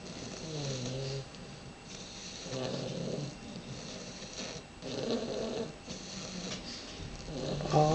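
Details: Two sleeping English Bulldog puppies from the Houston, Texas area snoring indoors, low rumbling breaths recurring roughly every two to three seconds, each with a nasal humming tone.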